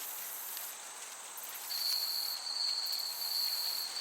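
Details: Chirping crickets in a summer meadow: a high, fine trill with a gentle breeze, joined midway by a steady clear whistling tone that holds for the final two seconds.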